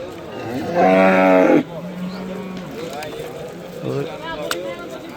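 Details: Simmental cow on sale at the Shahrixon cattle market, giving one loud, steady, low moo of under a second with rich layered overtones, then quiet murmuring voices and general market background noise.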